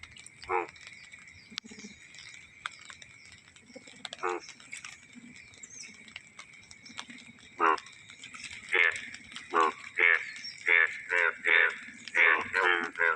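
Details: Yellow frogs calling and dancing at the start of the rains in Ladghar village, Konkan; a series of loud, buzzy pulsed croaks, sparse at first then repeating roughly every half second toward the end, with a faint high steady tone behind.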